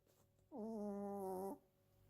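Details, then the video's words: Two-year-old female Chiweenie snoring indoors; one steady, whistling nasal tone lasting about a second with clear harmonics, rising slightly at the start, in a quiet room with faint hum. "チワックスの日常 ちょこびちゃん 【いびき】"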